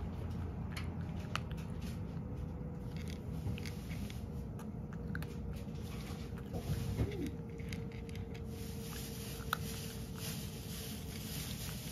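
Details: Indoor crunching and chewing of dry food, with faint taps and a steady low hum and no animal calls.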